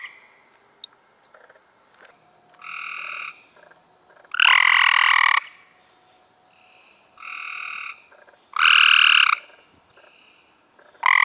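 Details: Several Cope's gray treefrogs calling in May 2016, near and distant males alternating harsh buzzing trills of about one second, with quieter overlapping calls between the loud bursts.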